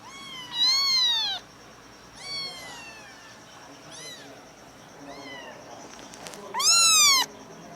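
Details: High kitten mews, adopted along with their mother; a loud arched cry, softer scattered mews, then a final loud bent-up call, with a faint steady hum and a brief click.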